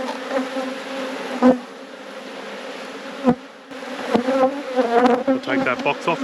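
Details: Honey bees in an open hive at an apiary, droning continuously while frames are worked; two loud knocks and a burst of clattering handling noise toward the end over the hum.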